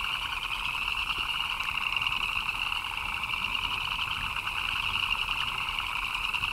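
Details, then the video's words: Frogs in the rain keep up a thick wall of chirping, a fast, rattling high trill layered over a lower throbbing band, with loudness swelling only slightly. "Frogs chirping in the Rain"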